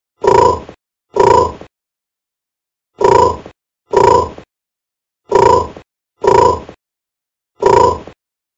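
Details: Low, throaty bullfrog croaks, processed for clean quality, come in twos: a pair, a longer pause, then two more pairs and a single final croak, each a short booming grunt with dead silence between.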